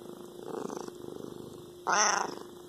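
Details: House cat with a rhythmic, pulsing purr lasting over a second, then a brief bright meow-like cry with strong overtones before the purring resumes softly.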